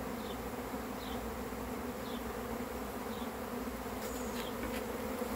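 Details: Steady dense buzzing of a honey bee swarm arriving, a low continuous hum, with faint bird chirps repeated roughly each second and a few sharp clicks toward the end.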